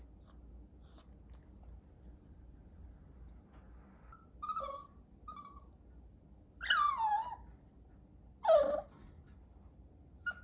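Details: Chihuahua puppy whimpering indoors: a few faint high squeaks, then two louder drawn-out cries sliding downward, spaced about two seconds apart, with quiet room background between.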